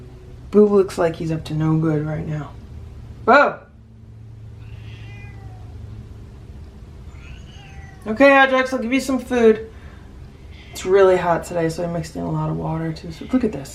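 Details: Domestic cat from a rescued feral cat family meowing indoors in a small room, drawn-out harmonic meows in three bouts with a short chirp between, overlapped by a person talking.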